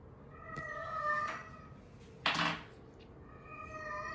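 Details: Norwegian Forest Cat, a domestic cat fond of the socks of a father and daughter, gives a drawn-out harmonic meow, then a sharp knock, then a second long meow rising at the end.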